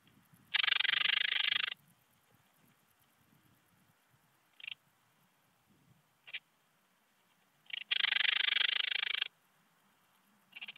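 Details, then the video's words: Nadig's alpine bush-cricket at Heiligenblut, Austria, on 4 September 2020; noise-reduced recording of a high, dry buzzing song in long bursts of over a second, separated by short isolated chirps and silent gaps. "Anonconotus italoaustriacus -- Nadigs Alpenschrecke"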